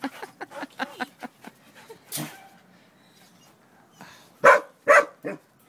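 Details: Champ, a two-year-old neutered male Akita mix at a shelter, playing outside with a Golden Retriever: a run of short high yips and whimpers over the first two seconds, a lone bark, then three loud sharp barks near the end.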